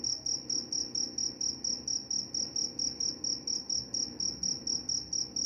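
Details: Sleep-inducing cricket sound said to drive away mice, a bright high-pitched chirp repeated evenly about four times a second, each chirp slightly trilled, over a quiet low background rumble.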